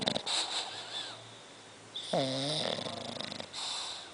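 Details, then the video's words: Tota the bulldog snores while asleep, mixing rough airy rasps with a wheezy, slightly whining tone on one breath and short snorting sounds, heard up close in a quiet room. "tota (bulldog roncando)"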